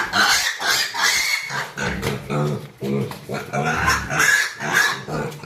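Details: Pig at a pig-rearing farm while piglets are handled and held by the leg: rapid, rough, repeated grunting squeals, about two per second, with short pauses and handling noise.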